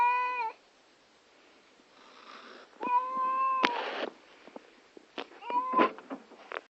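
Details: Female pet cat, upset before a vet visit, gives a few short meows separated by rustling and handling noises in a small room.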